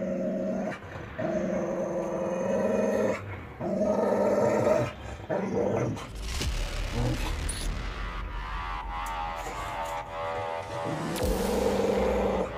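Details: Dogs, a Dogo Argentino facing an aggressive Pitbull, growling steadily in low, rough, droning bursts that swell and break off every few seconds, with a brief scuffle in the middle and faint music behind.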